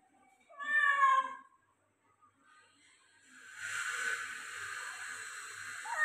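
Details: Persian cat meowing during a shower: one drawn-out, rising-then-falling meow with rich harmonics, followed after a short pause by the steady hiss of running shower water.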